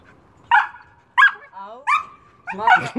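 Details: Amy, a jumping Old English Sheepdog, gives four loud, harsh barks about two-thirds of a second apart, with a short wavering whine between the second and third and a rougher, drawn-out final bark.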